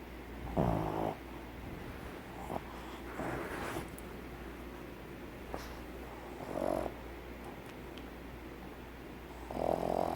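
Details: A pug snores in its sleep, the noise caused by air vibrating the inner walls of its short muzzle; rhythmic rasping snores recur about every three seconds, alternating louder and softer, with faint clicks and a low background hum.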